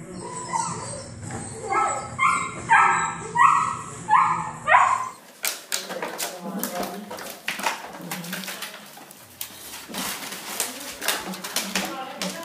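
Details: Seven-week-old Bernese Mountain Dog puppies from a litter of nine, vaccinated and playing indoors in a living room. Harmonic yelping whimpers repeat about every half second for five seconds, then clattering noises and a person speaking Italian.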